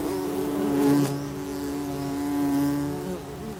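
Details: Bumblebees in a nest producing a continuous low buzzing drone, a held tone with harmonics that swells twice in loudness over a few seconds.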